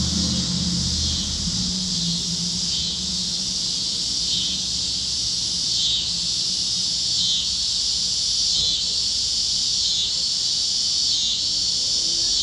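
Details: Cicadas chirping at sunset over Kansas fields on a warm evening; a dense, steady high buzzing chorus with slow swells in loudness every couple of seconds and a faint low rumble underneath.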